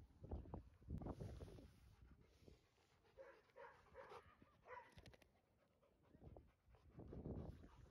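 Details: One-year-old Golden Retriever named Retsu, 42 kg, at a dog run, where he approaches people and lies down hoping to be petted. Breathy panting comes in bursts at the start and end, with quieter stretches and faint background sounds between.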